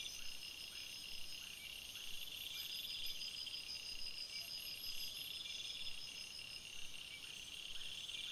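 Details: Crickets chirping at night in a forest: a dense, steady chorus of shrill high-pitched tones in several layers, with soft, faint ticks repeating beneath, an unbroken nocturnal insect drone.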